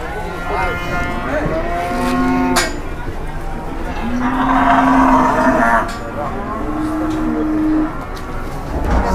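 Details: Enraged cattle coming down off a truck and charging, giving loud, drawn-out moos, three main bellows a couple of seconds apart, each steady-pitched and ending in a slide, with clattering and a low background rumble.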